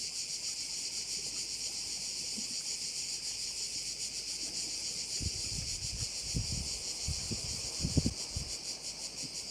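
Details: Crickets calling at a Korčula bay, their high, hissing chorus pulsing steadily throughout, while gusts of wind or rustling add low rumbling bursts in the second half.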